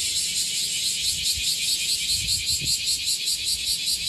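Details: In Okinawa, bear cicadas gathered on a tree fill the air with a loud, harsh, high buzzing that pulses steadily.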